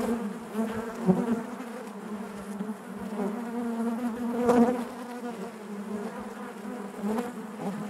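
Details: Honey bees buzzing inside their hive: a steady low hum with a strong harmonic drone, a louder surge near the middle, and brief clicks and bumps from bees moving close by.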